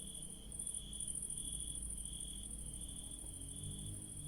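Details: Night-time crickets in a garden of blooming yellow daisies, giving a continuous high-pitched trilling drone that pulses slightly in strength, over a low background hum.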